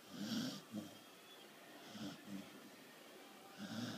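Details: Bailey the corgi snoring while asleep: soft, low, rasping snores, each inhale roughly every one and a half to two seconds, over faint steady background hiss.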